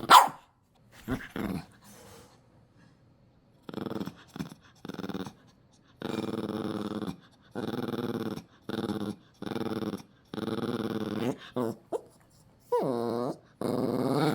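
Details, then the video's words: Dog growling indoors as its toy is taken away: a few short huffs, then repeated drawn-out grumbling growls of about a second each, with brief pauses, ending in a wavering, rising and falling growl. "강아지 장난감 뺏을 때 반응"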